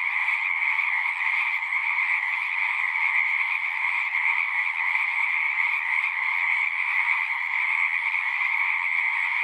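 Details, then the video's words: Pond frogs in a horse pasture chorus together, captured with a Zoom 6: continuous overlapping high-pitched trills and peeps blend into a constant buzzing drone, with no break or change in intensity. "Frogs singing"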